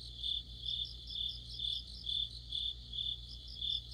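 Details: Mid-autumn orchestra of crickets and fellow insects: shrill, ringing chirps swelling and fading in a steady beat about twice each second, backed by a continuous low drone.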